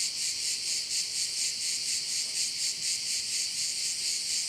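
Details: Crickets heard over a view of one of the bays in Korčula: a dense, high, hissing chorus, pulsing about twice a second in steady waves, with nothing else standing out.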